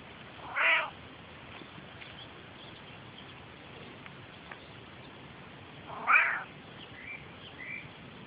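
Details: Affectionate male Australian grey tabby cat meowing while being friendly near a car; two short harmonic meows about five seconds apart, with faint higher chirps near the end over quiet background hiss.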